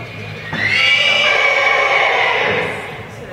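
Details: Welsh Pony at the Oregon Welsh Pony show, a fairly scared, very forward young horse; one loud, high, tonal whinny of about two seconds, slightly wavering and fading at the end, over low indoor hum.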